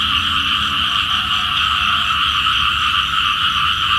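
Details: Small frogs calling for rain in the morning: continuous, buzzing trilled croaks from many individuals forming steady middle and high bands, with a faint low rumble beneath.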